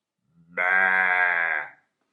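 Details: From a meadow where sheep graze, one isolated bleat: abrupt start, sustained nasal quaver for about a second, then a quick fade into silence.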